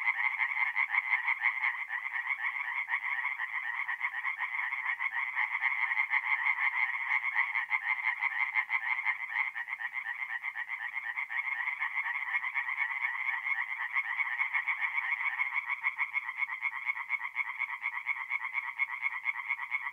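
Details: Night chorus of tree frogs at a forest pond in north-east Italy in mid-April, many voices overlapping in a continuous rasping, pulsing drone of quick repeated croaks, steady throughout with nothing else audible.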